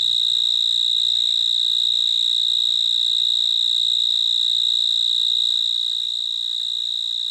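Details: A cricket chirps in an unbroken high-pitched ringing trill that stays level throughout. Near the end it softens slightly. There is faint low hum beneath and no other clear sounds.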